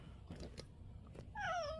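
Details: Stray cat, one of two brothers born in 2023 that come daily for food, gives a short descending meow at the end, harmonics gliding down; soft rustling and a person's coaxing voice nearby.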